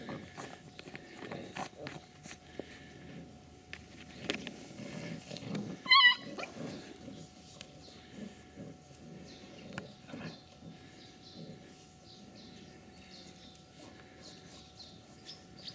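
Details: Ca de Bou puppies at play, giving soft low grunts and scuffling growls throughout, broken by a single sharp, high-pitched yelp near the middle, with faint background noise.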